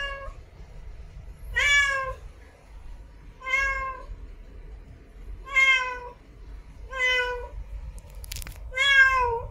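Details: Calling for a mate, a female cat in heat gives six wailing meows with a rise-and-fall shape, spaced about two seconds apart, with one brief sharp click between calls near the end.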